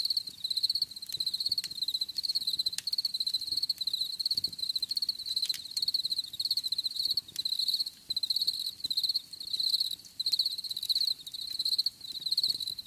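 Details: Steady high-pitched cricket chirping in regular pulsed groups, separated by brief pauses, with faint ticking noises underneath.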